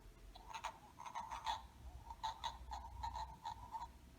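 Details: Male wood frogs at a spring vernal pool, their breeding habitat, give a run of hoarse, clucking, duck-like quacks produced by pushing air through a flappy vocal sac.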